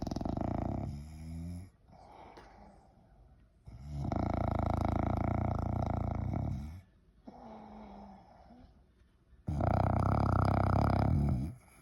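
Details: English Bulldog snoring indoors: three loud, rough, rumbling snores, each lasting about two to three seconds, separated by quieter, softer breaths.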